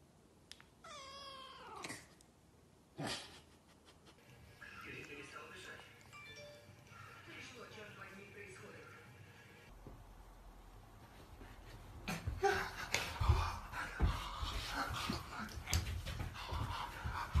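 A Maine Coon cat gives one drawn-out, wavering meow, followed by household noise and voices.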